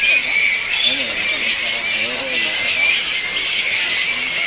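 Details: A large fruit bat colony roosting in trees on Misool island, Raja Ampat, West Papua, keeps up dense, shrill, bird-like chattering and bickering, likely jostling for position before leaving at dark to feed; a man speaks over it.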